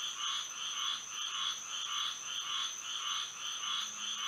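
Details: Night chorus of frogs in Florida by moonlight, rhythmic croaking bursts about twice per second, each a bright buzzy pulse, with a constant thin high-pitched drone behind.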